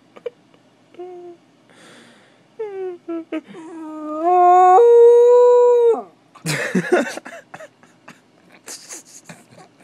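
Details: Spike the dog as a puppy gives short whimpering notes that build into one long, steady, clear howl lasting about two seconds, followed by scratchy rustling and clatter.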